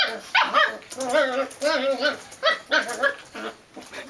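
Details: Belgian Malinois puppy giving a quick run of about seven high, yappy barks over four seconds, each bark short with a clear tonal ring and slightly wavering pitch, separated by brief gaps; the room is otherwise quiet.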